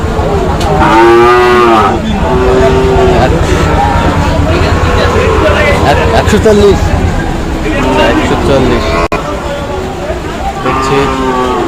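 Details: Lowing cattle at a rainy Eid-day cattle market in Manikganj, Bangladesh, where a Sahiwal bull is bought; a few drawn-out harmonic moos come early and near the end over market chatter and passing vehicle rumble.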